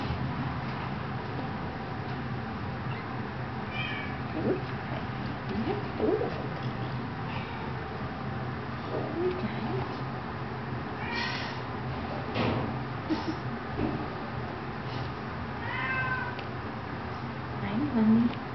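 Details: Kittens eighteen days old, indoors, giving a few thin, high meows spread across the stretch, each a short arched cry, over a steady low electrical hum.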